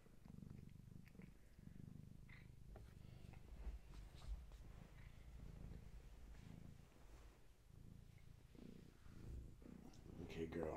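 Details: Low continuous purring from Gaia, a pregnant long-haired tabby cat close to giving birth, watched at bedtime indoors; the rumble swells and fades in soft cycles, with small rustles and a brief higher squeak at the end.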